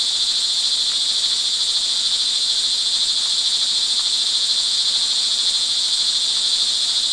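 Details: Crickets in the rain, recorded early evening on 24 June 2011 in Montalban, Rizal, Philippines, trill in a steady, high, shimmering chorus that never pauses, with a soft hiss of rain beneath.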